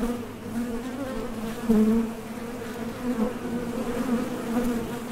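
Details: Foraging honey bees coming and going at a top bar hive entrance; continuous droning hum with a sharper, louder buzz near two seconds as one bee flies past.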